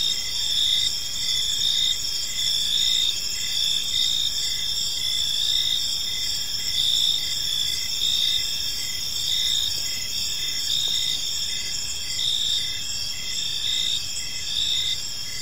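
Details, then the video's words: Crickets chirping in a peaceful park as evening unfolds: a dense, continuous high-pitched chorus of several overlapping trilling bands, with gentle pulses repeating roughly once a second over a soft low background hum. "Cricket Sounds in a Peaceful Park"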